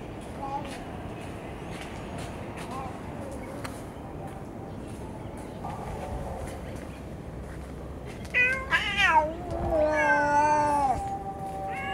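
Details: Stray cats in a park where rival cat families have been feuding: a quiet outdoor background, then from about eight seconds a run of loud, wavering, drawn-out meows with rising and falling pitch.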